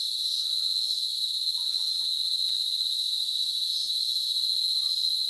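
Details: A cicada in the countryside trees of the Dominican Republic, where they are everywhere, gives a steady, shrill, unbroken buzz that holds the same high pitch throughout.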